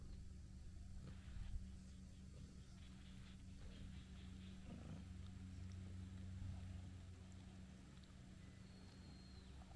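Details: Brown tabby-and-white cat, apparently a stray, purrs while kneading and licking: a continuous deep rumble, a brief louder thump early on, and a faint thin bird whistle near the end.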